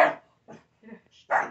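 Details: A pug barking at a Chucky doll gives two sharp, mid-pitched barks about a second apart.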